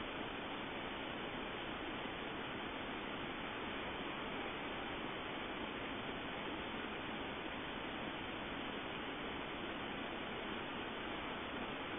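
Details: Even, muffled hiss throughout, like a waterfall or static, with nothing else audible.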